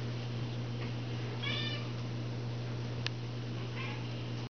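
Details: Kitten giving a brief rising-and-falling meow, then a fainter second meow a couple of seconds later, with a sharp click between them and a loud constant low hum underneath.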